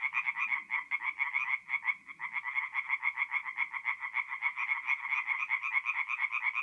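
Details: Tree frogs singing at night at a forest pond in mid-April in north-eastern Italy: a dense chorus of rapid, pulsed, rasping croaks, many frogs overlapping in a continuous rattling stream, with faint low rustles early on.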